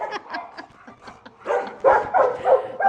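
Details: Pippa, an excited bulldog, playing on New Year's and lunging for the camera; short broken yips and barks rise in loudness toward the end, with a person speaking nearby.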